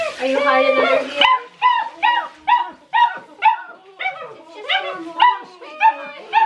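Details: Great Dane puppies, six weeks old, protesting their first bath: after a woman's voice, a steady run of arched, falling whimpers repeats about twice a second, pitched high and tonal, one pup dominating.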